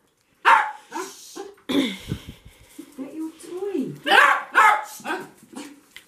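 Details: Excited dog welcoming its owner back home: irregular short barks mixed with whining, grunting vocal sounds and some rustling, with louder yelping barks near the end.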